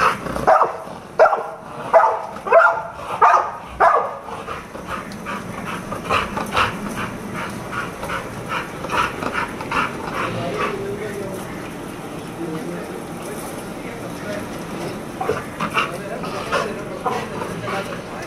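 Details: American Bully (American Pitbull) dog named Jack, a friendly award winner, barks in a burst of sharp repeated woofs about twice a second for four seconds, then quieter irregular vocal sounds and background noise follow.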